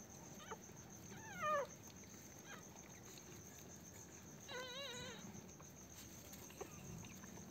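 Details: First-day Pomeranian puppies after birth at home, giving two clear wavering squeals, one short and falling, a later one longer and trembling, with fainter brief cries between them against a low background hum and hiss.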